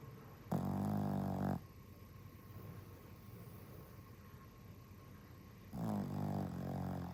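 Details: Exhausted dog snoring heavily, with two long, rough, low-pitched snores about a second each, separated by a quiet pause of several seconds, against constant faint hiss.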